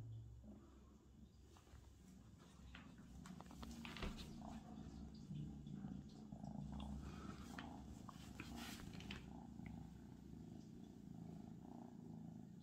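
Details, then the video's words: Abyssinian cat named Benya purring indoors after being let out to explore, a soft continuous low rumbling purr with steady pulsing, accompanied by faint rustling and small clicks nearby. "Как мурлыкает абиссинский кот"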